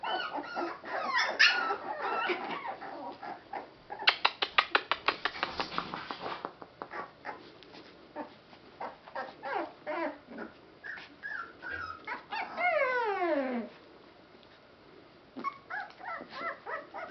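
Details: Litter of rescue Boston Terrier and Pit Bull mix puppies whimpering and squealing: overlapping high harmonic whines, a burst of rapid clicking taps midway, then a long squeal sliding steeply downward, followed by more short yelps.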